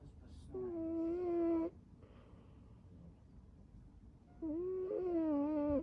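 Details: String Cheese the cat, curled up asleep and snoring indoors: two long, steady whistling snores, each about a second, with a short faint sound at the start and quiet room hiss between breaths.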